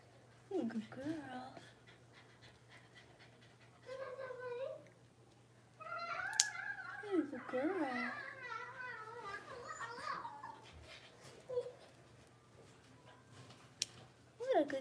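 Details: Five blenheim Cavalier King Charles Spaniel puppies, six weeks old and born at New Year, indoors in their puppy pen: high wavering whines and yelping cries in bursts, with a longer run of overlapping whimpers midway, over a low steady room hum.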